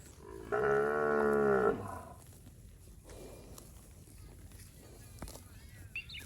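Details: A well-fed village cow from a herd wandering the rice fields lets out one strong, level moo just over a second long, then quiet open-air background with faint clicks.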